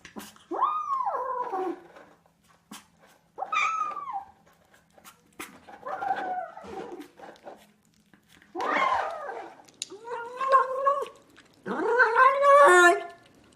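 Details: Cat making weird noises indoors: about six drawn-out, wavering meow-like cries, some rising and falling, the last ones strained and warbling, separated by short pauses with faint clicks and room noise.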